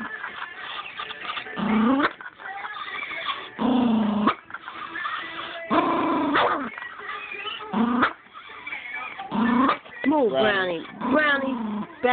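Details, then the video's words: Pet Chihuahua, Brownie, attacks a moving remote control with repeated harsh growling snarls in bursts of about one second, some with rising whiny tones, separated by short pauses; a person speaks between outbursts. "Chihuahua snaps on remote control."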